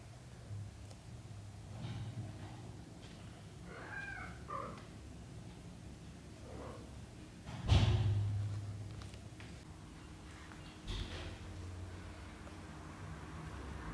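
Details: British Shorthair mother cat with her kittens, out on the floor while the kittens practice walking; a few soft, short rising mews near the middle, over a low steady hum, with a dull thump partway through.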